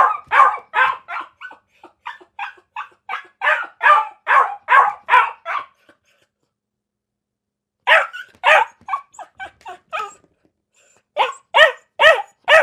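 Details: Dog barking persistently in rapid series: a long run of over a dozen sharp barks, a pause of a couple of seconds, another burst, a brief gap, then a few final loud barks.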